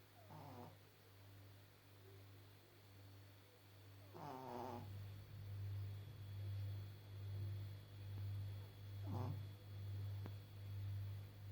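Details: Elderly Pekingese Maggie, 14.5 years old, blind and a little deaf, snoring in her sleep: deep rhythmic rumbles roughly once per second, broken by a few short snuffling snorts, growing louder toward the end.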